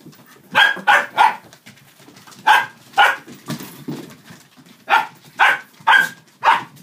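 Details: Dachshunds, five including two puppies, playing with a cardboard box, paper stuffing and a cat tunnel: sharp bright yaps come in quick clusters of two or three, about two per second, with short pauses between bursts.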